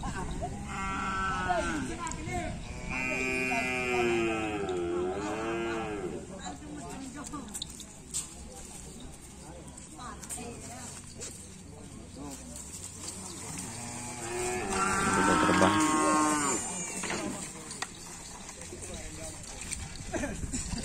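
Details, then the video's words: Raging cattle at a kerapan sapi bull race bellow in two bursts. Several bending, throaty moos come early and another loud cluster arrives around fifteen seconds, with constant crowd din and voices between. "Kerapan Sapi Ngamuk"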